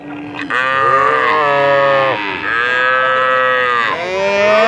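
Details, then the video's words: Cattle lowing in very long sustained moos, a steady harmonic tone held for over a second before sliding down, then repeated; low murmur of background activity. "Jangan Heran Dengar Suara Sapi Sangat Panjang Sekali"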